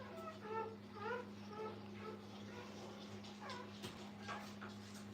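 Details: A new litter of puppies with their mother in a kennel gives short, high, squeaky whimpers, several in quick succession early on and another burst near the end, over a steady low electrical hum.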